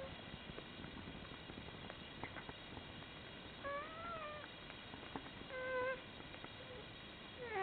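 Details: One-day-old Komondor puppies from a litter with their mother; thin high squeaky whines, a wavering one in the middle and a shorter rising-falling one later, over soft rustling and low background hiss.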